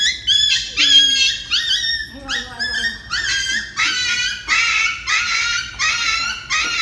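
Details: Dog crying during an injection: a run of high, wavering yelps and whines in short bursts about every half second, sliding and bending in pitch, with faint speech underneath.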